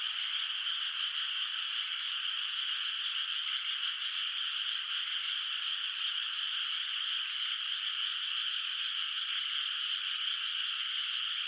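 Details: Many frogs heard from afar in a moonlit rural rice paddy at night, its water still bare of rice; an even, continuous shimmering trill with a bright high band that never pauses or swells.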